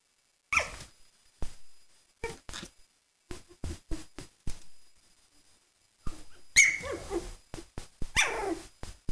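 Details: Three-week-old Sheltie puppies playing with a Cavalier, with short squeaky yips and bursts of high whines, scattered thumps and scuffles between quiet gaps, and a louder run of squeals near the end.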